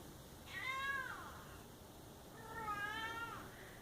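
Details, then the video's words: Domestic cat giving two drawn-out meows, the first sliding up then down, the second long and wavering, about two seconds apart in a quiet indoor room. "Funny cat sounds"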